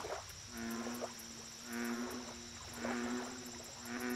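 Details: American bullfrog at a lake: deep, droning, harmonic croaks, each about a second long, repeated roughly every second in three bouts, over a steady high hiss and faint rapid insect ticking.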